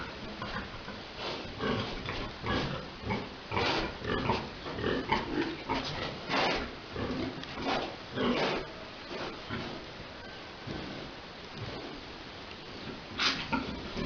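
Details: Boar and sow mating in a farm pen: choppy pig grunts repeat nearly twice a second, irregular and breathy, rising into louder bursts midway, then thinning into softer grunts with a final loud snort.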